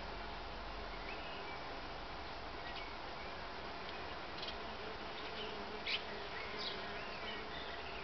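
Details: Many solitary bees active together produce a continuous layered buzzing drone, low and steady, with a few brief high bird chirps scattered over the background hum.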